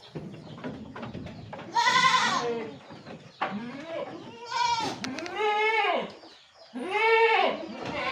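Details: Javanese goats, among them a female, kept by a farmer who speaks Javanese nearby; loud wavering bleats in three main bursts, each about a second long, with quieter bleats and a man's voice between them.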